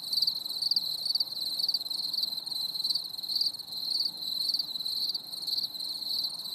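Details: Chorus of crickets on a stormy summer evening, a shrill high buzzing trill pulsing roughly twice a second with uneven rhythm, many insects overlapping into a continuous wall of sound.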